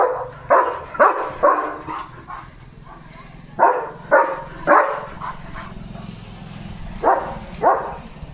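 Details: German Shepherd named Leo barking fiercely at a herd of sheep passing in front of the gate, on guard duty; sharp barks in irregular bursts, a quick run of four, a pause, then further clusters over a low background rumble.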